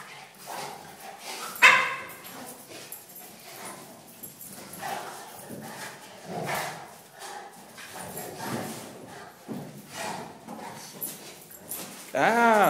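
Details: Two pet dogs, a cane corso named Zeus and a mini schnauzer named Maximus, play fighting indoors, the small one the instigator; sharp harmonic barks burst out near the start and again at the end, amid scuffling and a man talking.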